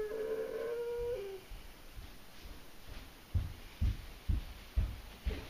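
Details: Abby, a German Shorthaired Pointer, howls from separation anxiety during a bout that lasted about eight hours: one steady, clear howl of just over a second that dips slightly at its end, then a run of dull low thumps about every half second.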